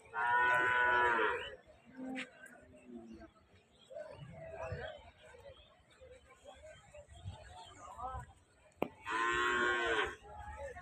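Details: Cattle lowing at a busy cattle market in Rajshahi City, Bangladesh; two short loud moos open and close the stretch, with murmuring voices, faint music and a sharp knock in between.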